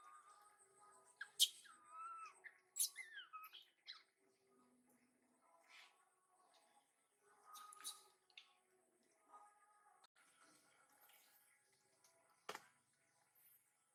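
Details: Mother monkey Emila generously sharing food with RANY and the New King: a few high squeaky squeals and thin rising chirps early on, then scattered soft clicks and rustles with long quiet gaps and one sharp knock near the end.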